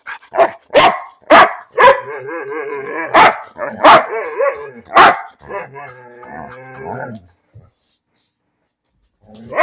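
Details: Bean, a pet dog, barking for no reason: rapid, uneven barks over the first five seconds, run together with warbling, moaning vocal grumbles that fade out, followed by quiet and a final bark.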